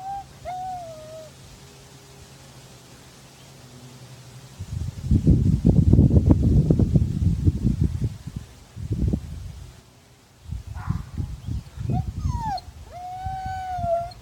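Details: Siberian husky from Madison, Wisconsin, answering a neighbour dog's barking down the street with howls: a steady tonal note at the start, then loud low rumbling handling noise, then short rising wails and a long level howl at the end.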